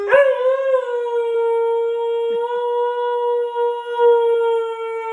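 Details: Single unbroken dog howl, smooth and sustained at an even mid pitch for the whole five seconds, with a slight swell at the start and faint wobbles later. Nothing else is audible.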